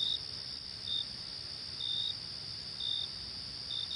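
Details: Crickets give short shrill chirps, a few slightly longer trills, roughly one per second, with a strong unbroken high insect hum beneath.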